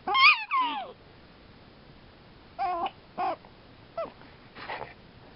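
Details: One prairie dog, described as happy, gives two loud squeaky chirps that sweep up then down. After a pause come four shorter, bright, nasal yips spaced about half a second to a second apart.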